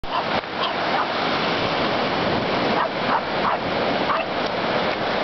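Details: French Bulldog named Amelie barking at the sea at Tel-Baruh, Israel; several short barks stand out over constant loud surf and wave noise.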